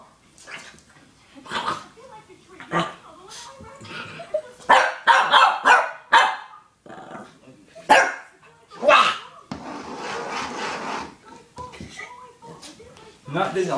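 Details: Shih Tzu puppy barking at a beer bottle he dislikes for its look or smell; sharp barks in irregular bursts roughly once a second, some low growling, and a man's voice between the barks.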